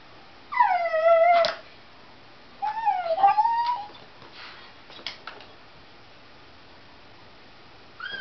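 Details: Indoor dog whining hysterically with excitement over a cat outside: a long high whine sliding down then holding steady, a second wavering, rising whine, short yelping bits between, and another whine starting at the end.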